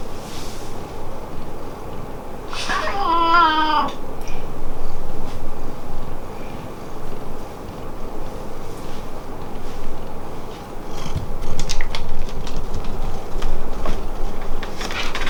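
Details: Pet cat Hamu-chan meowing at home, where its voice differs for the parents and for the beloved daughter; one drawn-out meow of about a second, bright and slightly wavering, over a low indoor rumble with faint clicks afterward.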